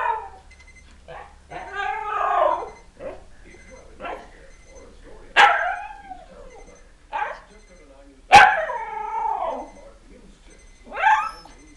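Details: Young husky, one year old, vocalizing in protest at an alarm: a string of short yips, whines and brief howl-like bursts spaced irregularly, with faint repeated electronic beeping behind.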